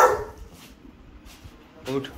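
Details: Rottweiler in a training session barking on command: a bark right at the start, then a second shorter bark nearly two seconds later, with a handler's spoken commands to speak and lie down.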